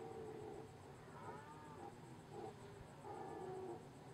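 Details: A powerful red deer stag bellows during the rut in Ustka forest district, Poland, on 27 September 2015 at 18:58, giving deep, hoarse roars in short bursts.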